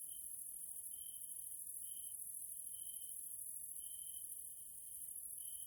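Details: In a nature area in Hungary, grasshoppers sound at evening: a constant high-pitched sizzle overlaid by a lower clear tone chopped into short bursts, roughly one each second, in an uneven rhythm.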